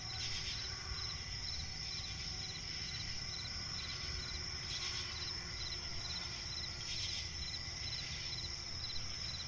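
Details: Night chorus of crickets in a swamp forest: continuous high-pitched trill with evenly spaced pulses and a few brief louder bursts, low rumble underneath throughout.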